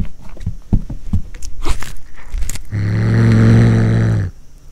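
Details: Cat eating corn for the first time: a run of crisp crunching and chewing clicks, then one steady, low, rumbling growl held for about a second and a half before fading to quiet.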